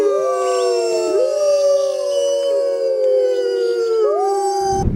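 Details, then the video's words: Several Mackenzie Valley wolves howl together in a chorus of long overlapping tones, some rising and others gliding, with a sharp noise right at the end. "Amazing Wolf Howl Compilation"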